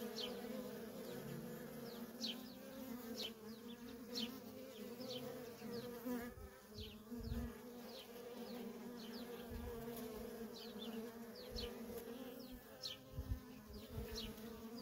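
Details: Feral honey bee colony with a continuous stream of workers. The steady, layered hum carries low thumps from passing bees, while faint, brief high chirps repeat throughout.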